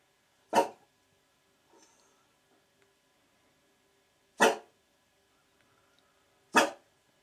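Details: French Bulldog indoors watching a deer eat birdfood through glass, wanting to hunt it; three sharp, loud single barks spaced a few seconds apart, with quiet room between them and a faint soft rustle.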